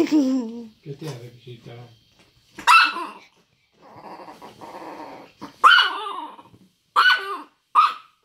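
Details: Grumpy 9-year-old Chihuahua that does not want to be touched: a low rattling growl, then sharp, snappy barks spaced a second or two apart, with a person speaking Spanish in between.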